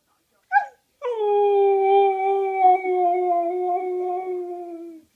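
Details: Siberian husky singing and howling: a short yip, then one long, steady, tonal howl lasting about four seconds that sinks slightly in pitch and fades at the end.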